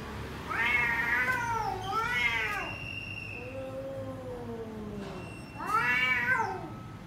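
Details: Indoor house cat among several cats being cared for, calling in loud harmonic meows: two arched cries close together, a long quieter wavering tone in the middle, then a final strong meow rising and falling; faint room noise behind.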